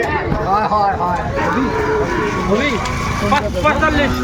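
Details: Sahiwal bull calves at Ambari cattle market, Dinajpur, Bangladesh, on 20 May 2024: several short, nasal bleating moos rise and fall repeatedly against loud crowd chatter and bargaining voices.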